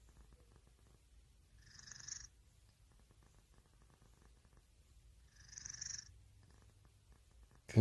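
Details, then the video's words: Cat purring in a quiet low drone, punctuated twice by a hissing, whistly breath sound about three and a half seconds apart, ending in a sudden loud knock. "고양이 ASMR"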